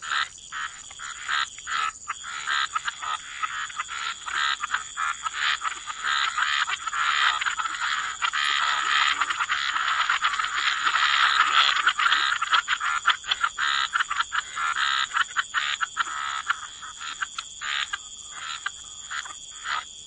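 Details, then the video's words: Chorus of croaking frogs at a wetland edge, many rapid rasping calls overlapping and building to a thick din around the middle before thinning again, with a persistent high-pitched background drone. "Frog Lullaby: Relax to the Sound of Croaking Frogs"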